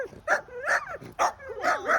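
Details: Small dog barking at a panther, four sharp yappy barks with whiny rising-falling slides between them, over about two seconds; people laughing around it.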